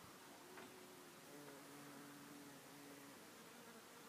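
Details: Bumblebees visiting a flower make a low droning buzz that rises and falls in pitch as they come and go, over soft hiss.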